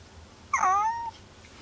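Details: Kuri, a pet cat who is unwell, hiding under a desk indoors, refusing food and ignoring catnip, gives one short high meow that slides downward and fades after about half a second in a quiet room.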